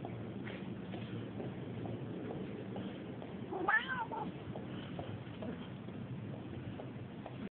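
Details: A very friendly cat living near a house gives one short, rising-then-falling meow midway, set against steady low rumbling background noise.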